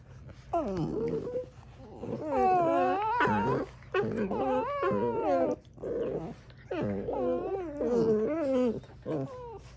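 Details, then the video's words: Two dogs, small Morkie-type pets indoors, communicating with each other in a small room: wavering, whiny howl-like vocalizations with sliding pitch, in long bursts of about one to two seconds, overlapping and trading back and forth. "why do my dogs sound broken"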